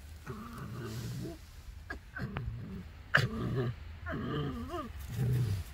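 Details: A fox chatters while being scratched, approaching another animal in what is described as territorial behaviour. It makes low, warbling, grunting bursts in rapid runs, some sliding up and down, with short gaps between phrases and a faint background hum.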